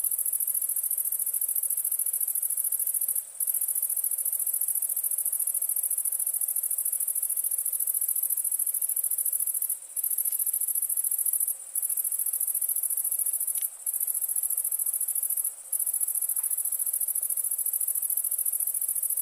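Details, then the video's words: Crickets at night form a continuous, very high shimmering trill that stays steady throughout, broken only by a few brief dips, with no other clear sounds. "Night ambience cricket sounds"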